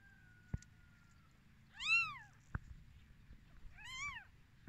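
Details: Newborn kittens on their first day of life, two clear high-pitched arching mews about two seconds apart, each rising then falling, over a quiet low hum with a couple of sharp clicks.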